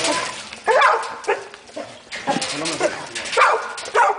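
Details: Labrador Retriever puppy giving short, high, wavering yelps and whiny yips in scattered bursts, several loud ones spaced irregularly, while a man talks in French over them.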